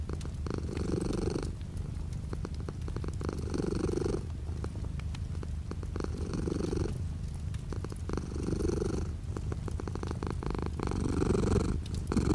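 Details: Pet cat purring near a rain-washed window in light rain; continuous low rumble with repeated breathy surges every two to three seconds, under a bed of steady rainfall and intermittent drip clicks.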